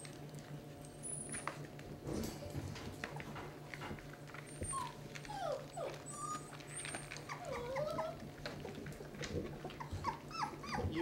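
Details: Basset Hound puppies, 18 days old, from a litter of 11, at their first feeding as they start moving to solid food. Faint, high squeaky whimpers come and go over steady low hum and scattered clicks.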